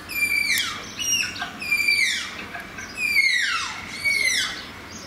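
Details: Captive Malayan tapirs at Zoo Antwerpen whistling: four high, thin whistles with bright overtones, each sliding downward and ending in a falling sweep, spaced about a second apart in a quiet indoor setting.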